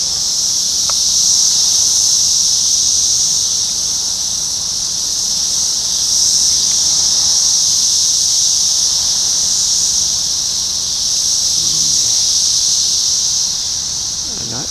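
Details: Periodical cicadas of the 17-year Brood X emergence, June 4, 2021, at a McDonald's parking lot in Sharonville, Ohio: a dense, unbroken, high-pitched droning chorus that swells and eases gently, with only faint low background rumble.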